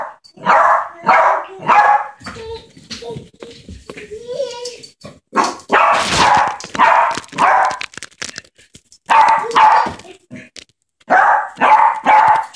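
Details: Yorkshire terrier Ketty at play with baby Maxim; bursts of quick, shrill yapping barks in several volleys, broken by softer gaps where a child's voice and small sounds are heard.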